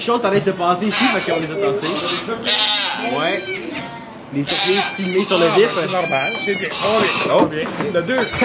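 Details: Domestic goat in labour, delivering two kids at a sugar shack in Quebec, Canada. Several quavering, harmonic bleats rise and fall over steady French talk and murmuring voices nearby.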